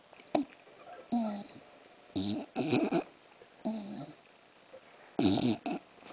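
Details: English bulldog snoring, heard as harsh, rasping, breathy bursts at irregular intervals of about one second, some single and some doubled, with quiet gaps between them.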